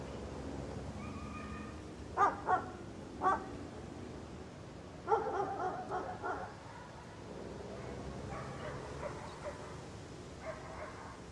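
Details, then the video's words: Angry guard dog barking in irregular bursts: single sharp barks, then a rapid run of several barks, more clustered barking, and a final lone bark, over a low steady background noise. "Angry Guard Dog Barking"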